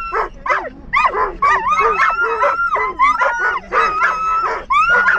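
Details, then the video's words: Dogs in a moving car, thrilled about going to the park, keep up a breathless run of yelping howls, with long wavering whines sliding up and down between choppy yips. "EXCITED Dogs in Car Can't Stop Howling For The Park"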